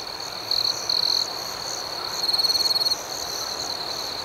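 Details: Night chorus of crickets, with two sharp, high trilled bursts in quick succession, then a longer pulsed trill that rises in loudness, all over a continuous shimmering backdrop of faster, higher chirps.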